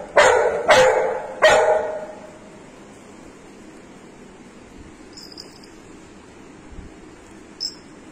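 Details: Excited female Golden Retriever, about to go on a morning walk and showing off a toy, gives three quick sharp barks within under two seconds, followed by quiet with faint high chirps.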